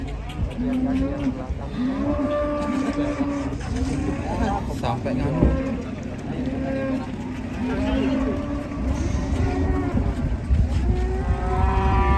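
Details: Enraged cow that jumped down from a truck and broke its leg, giving drawn-out low moos, several in a row with short pauses between them, over background chatter and commotion.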